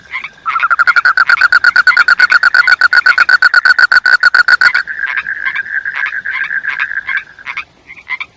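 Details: Frog croaking in a quick, rattling series of pulses lasting about four seconds. The call changes into a choppier, buzzing trill broken into short bursts before trailing off.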